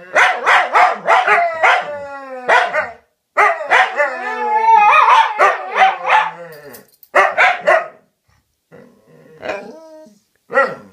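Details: Dogs talking to each other with quick strings of barks, a longer whining howl in the middle, then scattered single barks separated by pauses.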